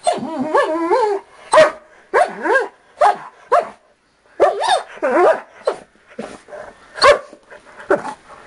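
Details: Two pet dogs, a 4-year-old Dachshund and a 5-year-old blue Doberman, jokingly said to be attacking, give a rapid series of short, high, yelping barks with rising and falling pitch, bunched in bursts with brief pauses.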